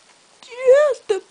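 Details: Two-week-old male Bull Terrier puppy named Bo, from litter CT29, eyes about to open, recorded 10 February 2013 indoors: one drawn-out nasal whimper that rises slightly then falls, followed by a brief second whine, with a quiet room.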